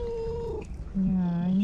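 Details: Male cat at the seaside in Istanbul, in a tense standoff with another male, giving a steady mid-pitched meow and then a low, flat, drawn-out moan, with faint background noise.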